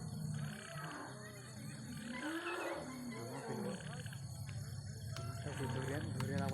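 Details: At night in Jangal Mahal, India, an elephant gives deep, rumbling roars that rise and fall over a low background hum, with faint human voices.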